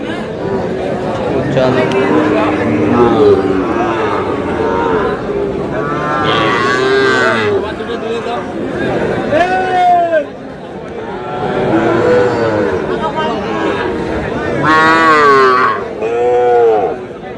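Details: Bull calves offered at a market to a farmer from Madaripur, 4 August: repeated long moos with bending, arched tones, the loudest near the end, over a steady background of crowd talk and haggling voices.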